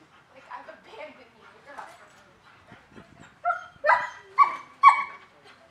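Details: Dog work on aggression desensitizing in a German Shepherd training class, November 2019: low murmuring gives way to four or five sharp, ringing barks in quick succession, roughly one every half second, near the end.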